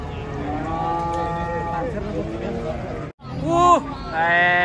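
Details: Cattle raging while being unloaded from a truck: sustained, harmonic lowing for nearly two seconds, then a short break and a rising, bending moo near the end, over steady background chatter and engine-like rumble.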